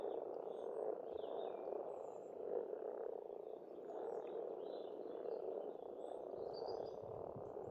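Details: At an Estonian farm pond in spring, many frogs keep up an unbroken grunting chorus with gentle surges about every second. Scattered, thin bird notes drift in the background.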